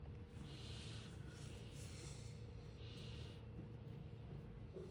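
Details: Large domestic cat purring while being brushed: a steady, deep rumble runs throughout, overlaid by soft, hissing strokes of the brush.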